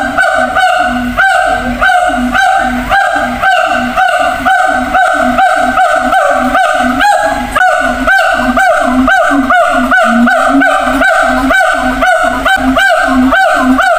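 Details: Siamang in a zoo shouting to others across separate, distant cages. Sharp honking barks are repeated evenly at roughly two per second throughout, each note short and strongly pitched.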